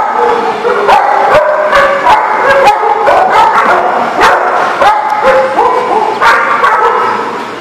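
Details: Dogs barking at a facility called The Barking Lot, recorded 10/12/18; many overlapping sharp barks and yips from several dogs, dense and continuous, with a reverberant background.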